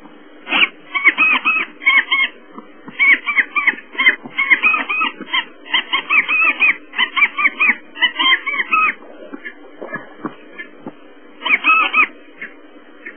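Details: African wild dogs at Pete's Pond, 16 September 2008, chasing and being chased by waterbucks; rapid clusters of high, bird-like twittering chirps repeat in bursts, fall quiet briefly, then return in one last burst.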